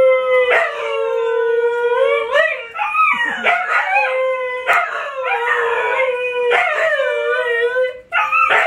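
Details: Siberian Husky howling, from Luna, Gizmo, Arya and the puppies: long steady held tones broken by wavering, bending phrases, repeated several times with short breaks, strong and clear.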